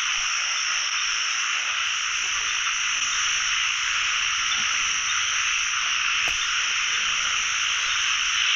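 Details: Pond full of calling narrow-mouthed frogs on the first frog-catching trip of the year; many overlapping croaks merge into a continuous high, hissing roar, with a sharp click near the end.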